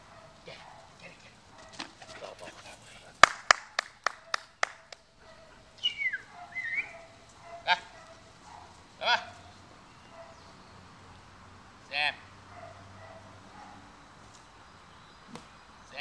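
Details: Solid black German Shepherd during preliminary bite-work practice, played with for fun: a high, drawn-out whine falling in pitch near six seconds, short faint whines later, with sharp knocks and thumps early on and occasional voices.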